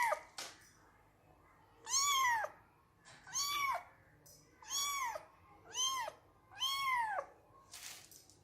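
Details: Kittens and cats meowing in a compilation: five clear, arching meows spaced about every second and a half, each rising then falling, with a click and a short noisy burst at the edges, quiet room background.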